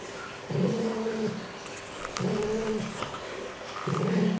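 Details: Fox calling indoors at a quarantine centre: three drawn-out, nasal, moaning calls, each about a second long, separated by short pauses, over a low room hum.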